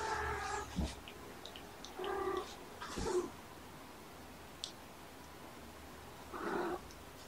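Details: Kittens with their mother Olympia, kept indoors, recorded on the morning of 18 February 2018: short harmonic meows, three in quick succession near the start and one more after a pause, with soft clicks and a quiet room background.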